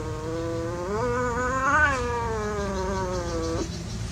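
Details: One playing cat gives a single sustained, nasal yowl lasting about three seconds, rising to a strained high point, then sliding slowly down before breaking off, against a low hum.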